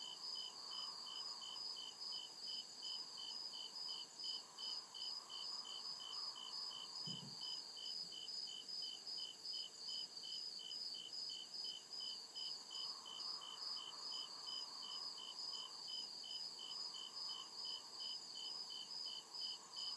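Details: Night chorus of crickets deep in the forest, a continuous run of quick, evenly spaced high chirps layered in bands, over a faint wavering lower drone and a single short low knock midway.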